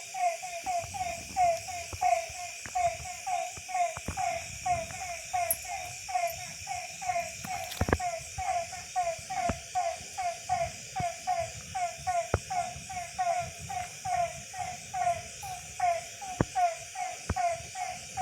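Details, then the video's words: Frogs calling at night after rain in a village in December, steady series of short nasal croaks repeated a little over once per second, overlapping in a dense chorus with a faint high insect hum behind. "இரவின் இசையும் டிசம்பர் பூவும் தவளை சத்தம்"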